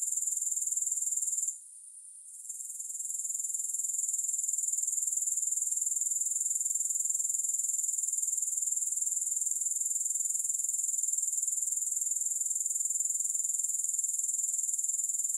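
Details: Grasshoppers give a steady, very high-pitched shrill trill of rapid even pulses that drops out for about a second near the start and then swells back to full strength, with no music.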